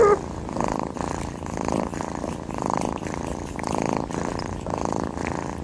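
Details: Snoring kitten close up, a steady raspy rumbling that swells and fades roughly once a second with each breath, continuous and fairly loud throughout.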